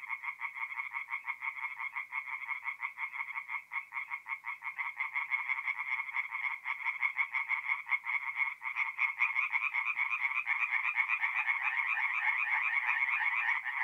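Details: Tree frogs chorusing at night at a forest pond in mid-April, North-East Italy; fast rasping pulses that build in loudness and density toward the end as more frogs join.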